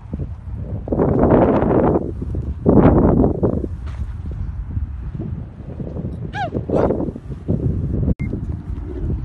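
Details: A Pakistani camel gives deep, rough, gurgling roars in two long bursts, with brief voices and thumps nearby.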